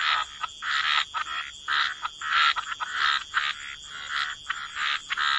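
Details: Frogs croaking at the water's edge in a relaxing wetland soundscape: rasping croaks in bursts about every half second, short gaps of quiet between them, a faint high constant tone behind.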